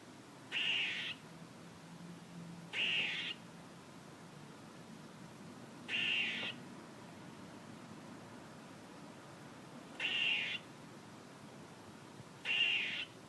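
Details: Squirrel giving harsh, buzzy half-second calls, five across the recording, spaced roughly two to four seconds apart over a quiet background hiss.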